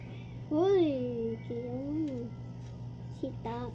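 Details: Pet cats Olive and Ul fighting indoors: two drawn-out, wavering yowls that rise and fall, then a short sharp cry near the end, over a steady low hum and people talking.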